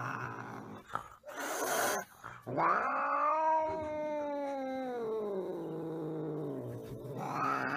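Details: Angry domestic cat giving a long, drawn-out harmonic yowl lasting about four seconds. It swells, sags slowly in pitch, then rises again at the end. Brief scuffling noises and a short noisy burst come first.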